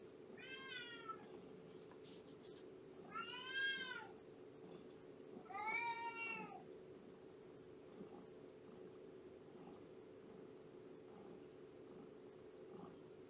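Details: Shelby, an estimated two-year-old female shelter cat at Purrfect Pals and a mother of a three-month-old litter, meows during a morning visit indoors: three drawn-out, harmonic-rich meows about every two and a half seconds, then a quiet, steady hum.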